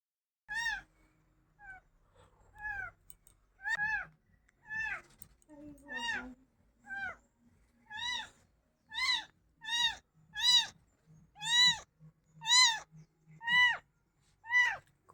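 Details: Domestic cat crying, meowing insistently in a long series of about a dozen loud, harmonic meows, each rising then falling, coming roughly once a second and growing louder, while a woman speaks in Bengali nearby.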